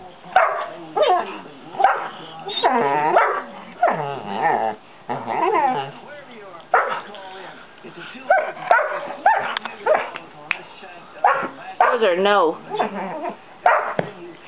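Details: St. Bernard puppy Dozer, five and a half months old, barks loudly to coax Simba into playing; a dense run of harmonic barks and whining yips fills the stretch, with human voices mixed in.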